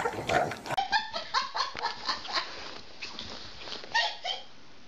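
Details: Dog in a funny-dog compilation giving a run of short, harmonic yaps or barks, repeated roughly every half second, louder at the start and fading toward the end, with a brief sharp burst near the close.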